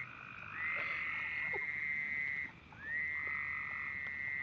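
A frog chorus: one caller gives a sustained, even trill that rises briefly at the start and holds for roughly two seconds before a short pause and a repeat. A fainter, lower-pitched frog trills in the background.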